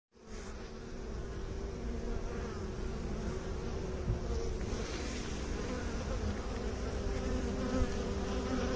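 Honey bees give a steady, low droning hum that swells slightly and never breaks.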